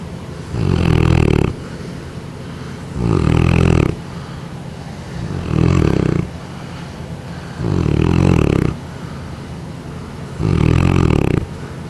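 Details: Tootsie, a 6-year-old female Neapolitan Mastiff weighing 153 pounds, snoring loudly while asleep on July 3, 2011; deep rumbling snores come in five long bursts, roughly every two and a half seconds, with quiet breathing between.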